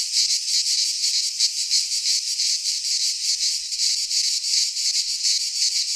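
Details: In a Greek pine forest in midsummer, cicadas keep up an unbroken buzzing chorus that swells and fades in quick beats about three per second, with faint low thumps now and then.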